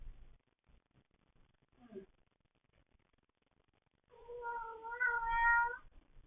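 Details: House cat giving a single long, wavering meow after a quiet stretch with a brief faint sound, in a calm indoor setting.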